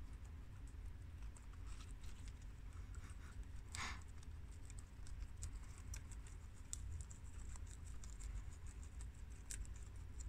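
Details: Guinea pigs Shiro, Crash, Cookie and Peanut, American, long haired mini yak and Abyssinian, chewing freshly washed garden romaine lettuce; rapid overlapping snaps of leaf-crunching with one louder tearing crackle near the middle, low hum beneath.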